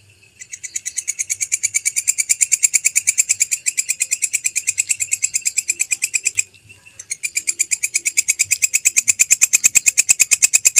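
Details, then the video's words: Belalang kecek grasshopper, recorded as a master sound for tutoring songbirds: a fast, steady train of dry, high-pitched ticking pulses, roughly a dozen per second, building in loudness, pausing briefly just after six seconds, then resuming evenly. "MASTERAN SUARA BELALANG KECEK"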